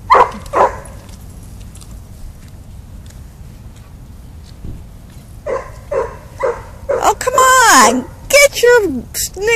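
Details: Daisy, a dog at a park, excitedly barking at dogs along the fence on the little dog side. Brief human talk first, then, after a pause, bursts of high yipping barks and a whine that slides downward.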